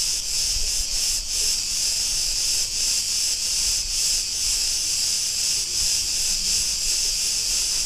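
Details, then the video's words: Chorus of Cretan cicadas in a street of Ierapetra on Crete, Greece, making an unbroken shrill buzz that throbs slightly, about two to three pulses per second, with almost no other sound. "Cretan cicadas sounds"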